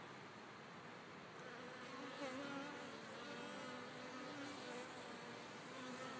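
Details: Honey bees flying out of a backyard beehive in a back field on a sunny December 25 day above 55 degrees, taking a break from the hive after winter worries; a steady layered buzz with wavering tones drifting up and down as bees pass.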